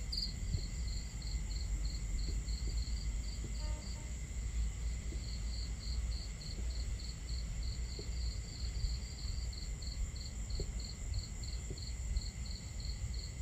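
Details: Crickets chirping at night while camping, steady high pulses repeating through the whole stretch with a short break in the middle, set against heavy low crackling of a fire and rushing water sounds.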